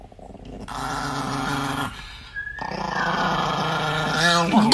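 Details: An angry pet Chihuahua growling steadily in a low, rough rumble that pauses briefly and then resumes more loudly, while a woman talks to it over the growls.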